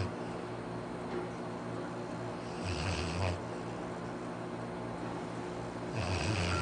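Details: Arfie, a pet Labrador Retriever, snoring while asleep: rough, low rasping breaths near 2.7–3.3 and 6 seconds, each with a hissy upper edge, over a steady low hum.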